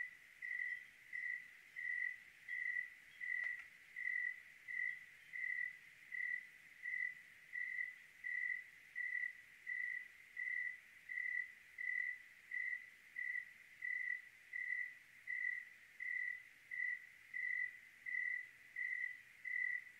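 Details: Cricket chirping on a clear night in Oregon: a steady, tonal, high chirp repeated about 85 times a minute in an even rhythm, with one faint click early on and a quiet low background hush.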